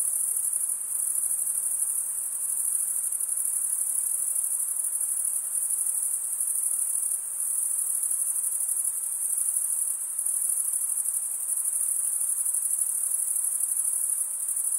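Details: Steady high-pitched trilling of male crickets stridulating with their wings, a uniform ringing chorus that barely varies in loudness, only slight dips now and then.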